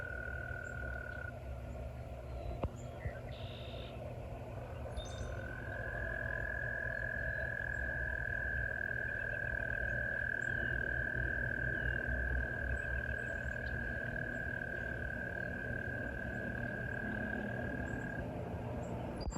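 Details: Frogs in a valley, heard nearby during a walk: a short high trill at the start, then one long steady unbroken high trill lasting about twelve seconds, over a constant low rumble.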